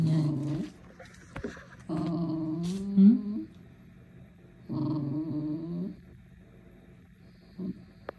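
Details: Dog with a bone, giving three drawn-out, wavering howls with rich harmonics, the longest about a second and a half, separated by quiet gaps of about a second, then a short final whimper near the end.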